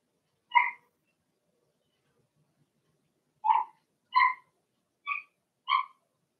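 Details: Blenheim Cavalier King Charles Spaniel puppies, part of a litter of six in an indoor puppy pen, giving five short, harmonic yelps, one alone then four closer together about half a second apart, quiet between.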